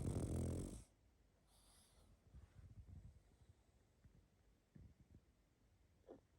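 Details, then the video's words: Snoring pug while sleeping: a loud, brief rasping snore at the start, then soft irregular snuffles and nasal puffs scattered through the quiet. "Храп и сопение мопса"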